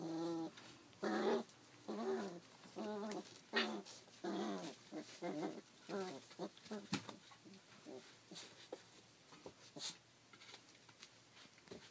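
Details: Thirty-three-day-old Rough Collie puppy, recorded 28 July 2012, gives repeated short harmonic whimpers and growly yelps about once a second, strong at first and fading into softer, scattered cries with light room noise.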